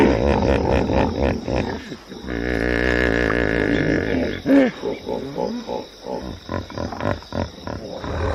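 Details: Hippopotamus call opening with choppy grunts, then a sustained, wavering honk with a buzzy tone, followed by uneven, rhythmic huffing pulses and a sharp honk midway.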